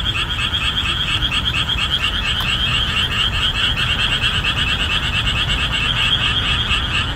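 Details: Many boreal digging frogs croaking at full strength in summer marshland after the monsoon rains end, their repeated calls forming a steady rhythmic pulse of loud, nasal notes, about two each second, filling the whole recording.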